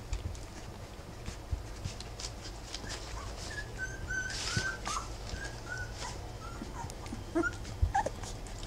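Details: Thin, short whimpering squeaks from three-week-old Rough Collie puppies beside their mother Wallis, coming in a loose string mid-clip over constant low hum and faint rustles.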